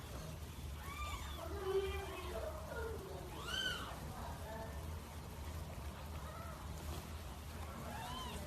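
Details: Cats described as fierce and in heat give several arching, wavering meows that rise and fall, overlapping at times, above a steady low rumble of background noise.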